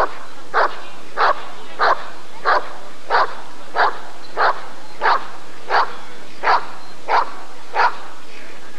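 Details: Rottweiler at the 1994 ADRK Körung breed survey, giving a steady run of about a dozen sharp, evenly spaced barks roughly every two-thirds of a second, with no other clear sounds.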